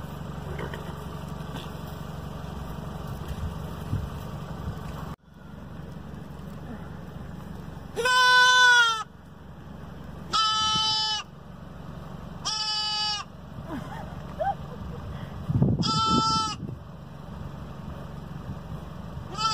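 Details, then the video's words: Newly adopted kid goats on their first day, meeting a huge horse and a tiny pony; several loud, wavering, harmonic bleats, each about a second long, spaced a few seconds apart, over low rumbling background noise. "Baby Goat Meets Huge Horse And Tiny Pony"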